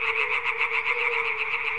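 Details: A dense chorus of European tree frogs at sunset and dusk in the Crna Mlaka wetland fishpond reserve, Croatia: loud, rapid, rasping pulses, high-pitched and unbroken, over a steady low hum.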